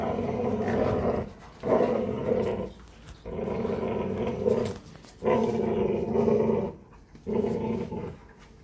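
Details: Presa Canario growling during a morning exercise session, deep rumbling growls in bouts of about a second, broken by short quiet pauses, roughly five bouts in the span.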